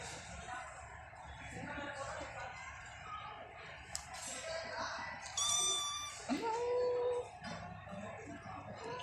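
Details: Stray mother cat with her three kittens, 22:18 at night on 10.12.23: one drawn-out meow that rises sharply and then holds steady near the end, with people talking indoors throughout.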